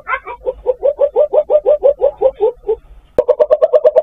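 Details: Asian palm civet calling for a mate, used as a lure: fast runs of short nasal, buzzy pulses, about three per second, a brief pause, then a sharper, tighter burst of the same pulses.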